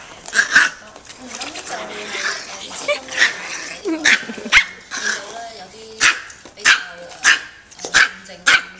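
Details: A family of AKC micro teacup Toy Poodles from Alabama bloodlines, now living in Hong Kong, in a playful crazy mode: sharp, high, yappy barks burst out every half second to a second over murmuring voices and rustling.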